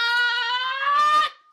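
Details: A cat gives one long, drawn-out meow, a clear tone held steady and rising slightly for over a second before it cuts off, followed by a short rough noise.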